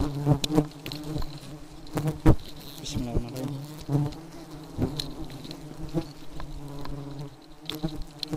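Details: Highly aggressive honey bees swarming, a thick low hum of numerous insects with frequent loud passes near the microphone and scattered clicks or knocks.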